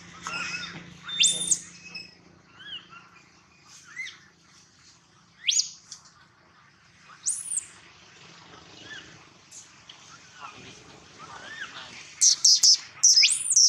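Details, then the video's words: Baby monkey named Gino crying loudly for a long time: shrill, rising squeals sweeping up high, repeated in irregular bursts of two or three, with quiet pauses between and a final run of sharp cries. "Poor baby monkey Gino crying sound loudly a long time till Quiet"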